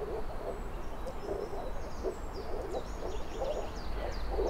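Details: Moor frogs (Rana arvalis) call together in soft, low, bubbling pulses, steady and overlapping. Faint high bird calls are scattered above a heavy low rumble.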